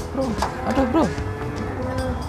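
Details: Cattle at the Prambanan cattle market, calling with short wavering moos that rise and fall in pitch, two or three in quick succession, over steady crowd chatter and speech of people nearby.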